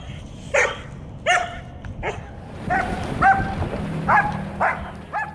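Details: German Shepherd female with aggression issues, reactive to other dogs, squirrels, cats, birds and vehicles, barking outdoors: sharp harmonic barks and yelps repeated roughly every half to one second, with background noise.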